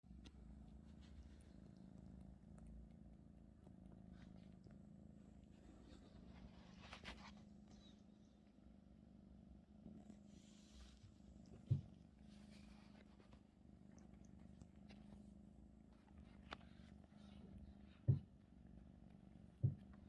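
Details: Russian Blue cat named 마음이 (Maeum-i), kneading a blanket taken from its owner's bed; low steady rumbling purr with soft pulsing throughout, a few sharp clicks near the end.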